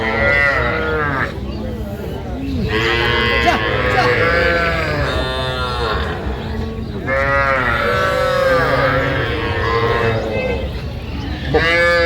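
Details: Young bulls and heifers among sixteen small cattle bought by a young woman farmer back from Saudi Arabia, 27 January 2026: repeated drawn-out harmonic moos from several animals overlapping, with people talking throughout.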